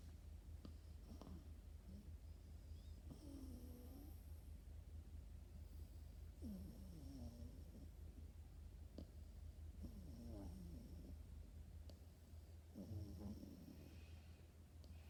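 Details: French Bulldog puppy sleeping and snoring: soft, low, rasping breaths in slow bursts every few seconds over a steady low hum, with faint hiss between the breaths.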